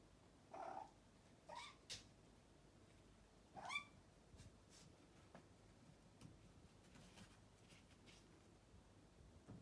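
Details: Young Bengal kitten, three months old, hunting a fly inside the home: a run of quick chirping calls in the first four seconds, short clipped notes with rising overtones, then faint clicks and room noise.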